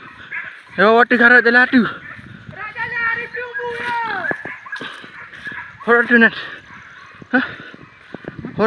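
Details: Village dogs hunting wild boar alongside spear hunters, the chase running from the upper forest down to a river: bursts of harsh yelping barks, a drawn-out level howl, then further short barks, with rustling and people's voices.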